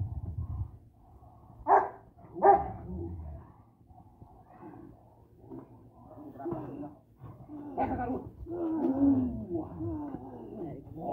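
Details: A Boxer-Rottweiler mix (bandog F1) dog in personal-protection training gives two sharp, loud barks, followed by lower grumbling sounds and human voices.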